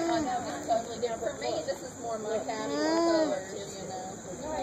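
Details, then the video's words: An alpaca off by itself at a farmer's market hums softly to communicate with another alpaca in a nearby pen: a low nasal tone wavering up and down in short phrases, amid heavy background noise. "Alpaca Humming Call"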